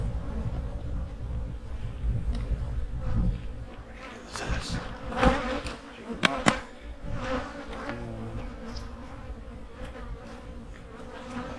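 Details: Autumn honey bee colony being readied for winter, its hives giving a continuous low, buzzy hum with faint harmonic bands, overlaid by sharp clicks and knocks from work at the hive.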